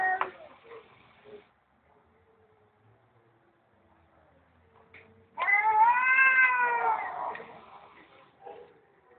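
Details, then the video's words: Stray cat behind an office building, being talked to, gives one drawn-out, arching meow with rich harmonics about halfway through, after a short softer call at the start and quiet pauses. "Feline Concert with Human Intermezzo"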